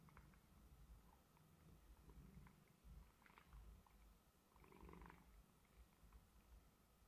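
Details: Domestic cat snoring softly while sound asleep indoors at home; low, rumbling breaths swelling and fading in slow waves, with faint brief clicks above, no talking.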